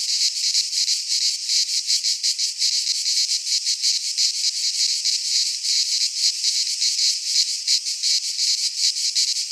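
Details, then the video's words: Cicadas in midsummer among Greek pines, their high rasping buzz throbbing in rapid beats, the pulses swelling slightly toward the end, nothing else audible. "Cicadas singing in midsummer - Nature sounds from the Greek fauna - Sounds of cicadas"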